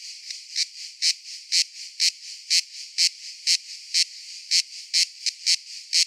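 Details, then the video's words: Cicada giving sharp, rasping bursts about twice a second, each a short loud buzz standing out over a faint, steady high hiss. "Cicada Sounds - Cicada Sound Effect"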